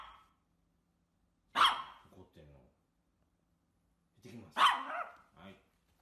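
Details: A micro poodle puppy gives two sharp, bright yaps three seconds apart, each followed by short, gruff trailing sounds, in a quiet home setting.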